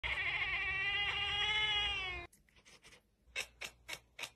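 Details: A cat in a funny cat compilation lets out one long, drawn-out meow lasting about two seconds, its tone slowly falling, followed by a run of soft taps and clicking knocks.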